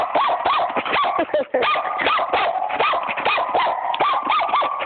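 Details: Smokey, a puppy, barking in quick repeated high arched yaps, each bark a short rising-falling note, with a person's voice briefly heard.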